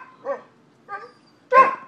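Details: Dog barking outdoors in Seminole, Florida, in October 2015, as happens every morning when let outside: three spaced barks, the last loudest and harshest, with quiet gaps between.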